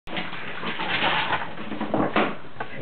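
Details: A group of French Bulldogs gives rough, breathy snorting grunts that run together without clear pauses.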